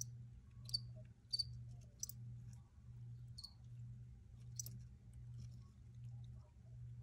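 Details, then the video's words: Crickets recorded outdoors: a few short, high, sharp chirps scattered irregularly over a steady low, throbbing hum that swells and fades about once per second. "Free Cricket Sounds for Re-Use or Relaxation"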